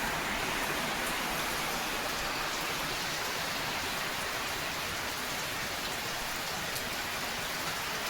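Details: Steady rain falling on a surface, a dense hiss with no animal sounds.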